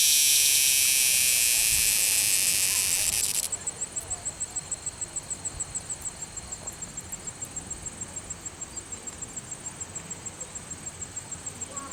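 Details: Cicada caught by hand at Longwood Gardens, Pennsylvania, sings by day, rubbing its wings together while wagging its tail. A loud, harsh, fuzzy buzz runs about three and a half seconds, then cuts off, leaving faint, rapid, high pulsed chirps steadily repeating.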